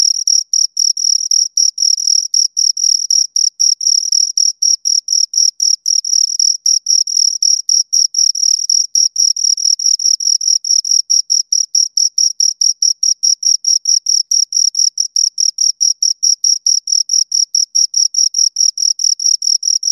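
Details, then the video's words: Two crickets chirping in a long steady run of short, shrill pulses, several per second, with a bright narrow tone and a faint higher overtone; no other sounds in a very clean recording. "Two Crickets Chirp Sounds for Two Hours Right on Your Ears"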